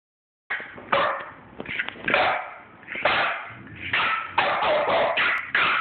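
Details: French Bulldogs Bosco and 9-week-old puppy Cali squabble in a disagreement with a rapid run of yips, grumbles and whiny bark-like cries.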